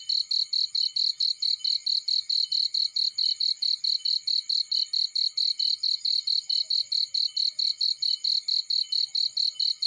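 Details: Cricket chirping in a field beside a burning fireplace: a high, steady pulsed chirp repeated about four to five times a second, evenly paced for ten seconds, with only faint low ticks beneath.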